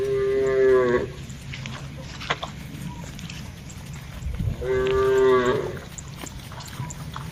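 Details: Cattle herded in a wide plantation among trees and grass, two steady harmonic moos about a second each, roughly four seconds apart, over a low background hum with faint clicks.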